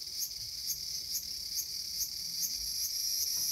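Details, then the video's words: Cicada in a small garden, August 5, 2020: a high, shrill buzz that swells in pulses about twice a second, with no other clear sounds. "The sound of Cicada."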